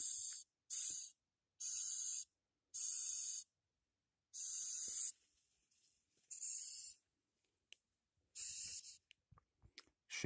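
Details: Captive Madagascar hissing cockroach kept as feeder insect, forcing air out between its shell plates when handled. About eight loud, breathy, pump-like hisses come in a steady series, followed by scattered clicks and handling noises near the end.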